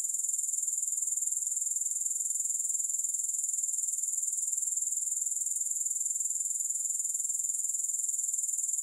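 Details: Steady, unbroken high-pitched chirring of grasshoppers, a shimmering pulsed buzz ticking at a regular rhythm of roughly four beats per second throughout, with no music, voices or other animals.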